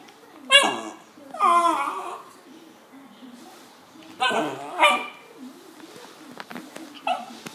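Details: West Highland white terrier giving sharp barks with a drawn-out whining tail, two bursts early and two more near the middle, with quieter clicks and background speech between.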